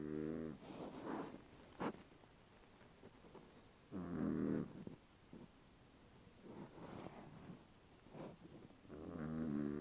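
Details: A dog snores while asleep, rough rattling snores recurring every few seconds, with softer breaths and small clicks in between.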